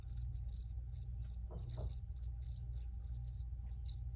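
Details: Crickets chirping in a quick, high, ringing series of short pulses, several each second, over a steady low hum and a faint mid-pitched tone; a soft sweeping sound passes briefly midway.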